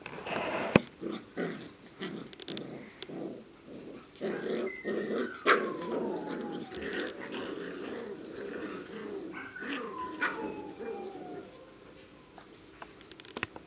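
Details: English cocker spaniel puppies of six and seven weeks at the z Blatova kennel, Czech Republic: muffled shuffling and scrabbling with a few long, thin whines gliding downward, and sharp clicks and knocks nearby.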